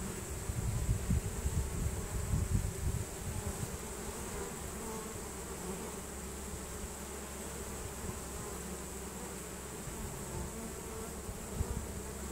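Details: Honey bee swarm marching into its new hive, bees releasing Nasanov pheromone to guide the others in; a dense, steady low drone with a rumbling undertone, a rougher hum in the first few seconds, then an even buzz throughout.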